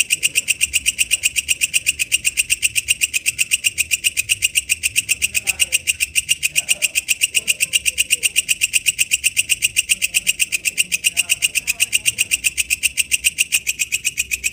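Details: Katydid known locally as walang kecek, recorded in the wild, giving rapid rhythmic rasping pulses, roughly four each second, loud and shrill throughout, with soft low murmurs underneath.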